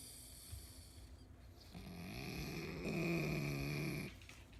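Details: Elderly pug in care sleeping deeply with open eyes, giving one drawn-out, buzzy snore that swells and wavers over about two seconds before breaking off, faint room hiss behind.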